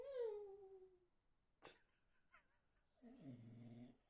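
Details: A puppy named Polciu gives a drawn-out descending whine, then a short sharp click and a soft snuffle, followed by a lower nasal whimper with stacked harmonics near the end; the room is otherwise quiet.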